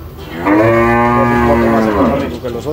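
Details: Gyr bull in El Salvador, shown for sale as a breed with high milk yield, gives one loud, drawn-out moo of about one and a half seconds, held steady and then dropping at the end.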